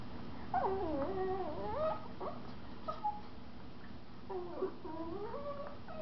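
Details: Mother Miniature Schnauzer and her 4-month-old pup at play in a living room, giving whiny, warbling whimpers that dip and rise in pitch, in two clusters separated by brief quieter squeaks.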